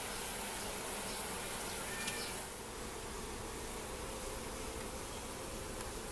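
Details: A colony of Asian hive honeybees in a top bar hive beside a house in Siem Reap, Cambodia, opened without smoke: a continuous, even droning buzz that barely changes, with a faint click partway through.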